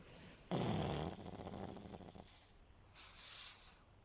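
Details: Sleeping, resting pug snoring: one loud raspy burst of breath, then a fluttering, rattling snore that fades over about a second before quiet returns.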